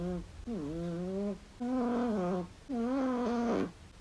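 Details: Chihuahua named Flexi, a tiny pet dog that gently begs for food and talks with its owner, gives three drawn-out, low, voiced moaning sounds that bend up and down in pitch, each about a second long, indoors.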